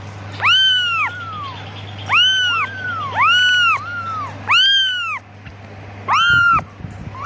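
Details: Kitten calling for its mother with clear arched mews, about one every second, each swelling up and sliding down, some with a trailing second note, against a faint steady hum.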